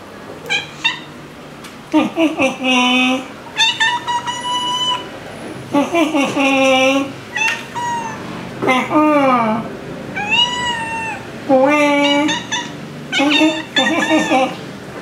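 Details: A chatty young tabby tomcat talking to his owner indoors in January 2023, giving a long run of varied meows, some rising then falling, some drawn-out and wavering, about a dozen calls in fifteen seconds with brief murmured human replies.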